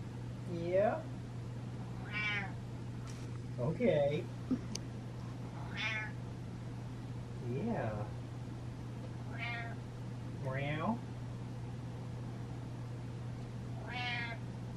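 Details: Pet cat Butters, feeling ignored and demanding attention, meows repeatedly indoors: about eight short rising-falling meows spaced roughly every two seconds, some rising and some falling in pitch, with a faint person's voice and steady low hum.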